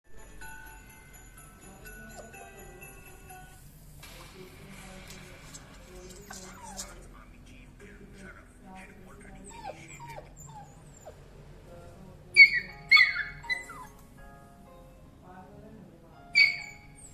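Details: Labrador Retriever; whine; wanting a door opened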